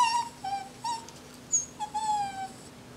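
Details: Coco, a Jack Russell Terrier, vocalizes a 'Happy New Year' greeting with a run of short, tonal whimpering whines, five or six brief mid-pitched notes that sag slightly, with gaps of quiet between them.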